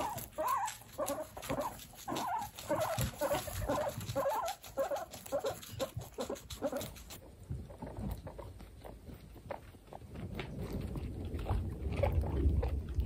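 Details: Guinea pigs during breastfeeding, from a household of female guinea pigs: a quick series of short tonal squeaks repeated steadily for about seven seconds, then soft rustling, shuffling and low thumps.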